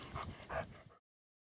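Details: A female Kuvasz on a walk lets out two short, fairly tonal barks less than half a second apart, then falls abruptly silent.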